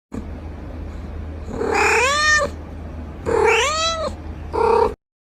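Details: Cat giving three meows: two long arched calls that rise and then fall, each close to a second, followed by a short clipped one, in a quiet room.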